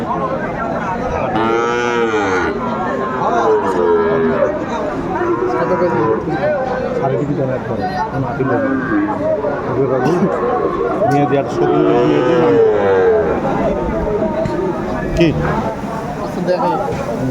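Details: Sahiwal bulls at a cattle market bought by farmers in Noakhali, Bangladesh, on 21 August 2024: several deep, drawn-out moos with arching harmonics rise and fall over steady crowd chatter and traders' voices.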